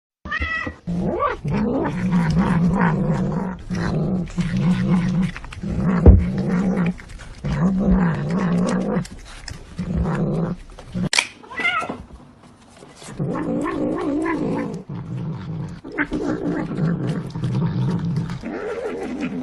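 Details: Domestic cat giving low, drawn-out growling and yowling with steady voiced tones, in long phrases broken by short pauses across the clip.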